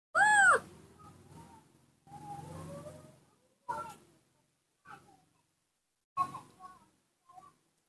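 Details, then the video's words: Baby monkey calling when its father is not nearby: a loud, clear whistled squeal that rises then falls at the start, followed by softer murmuring sounds and a few brief chirps, with long quiet gaps. "the melodious sound that the baby monkey Nomi makes to call, when his father is not nearby"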